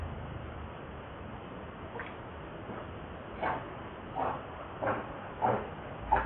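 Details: Lucie, a very hungry baby monkey, cries while begging for milk: short rising wails repeat roughly every half to one second, growing louder toward the end over a steady background hiss.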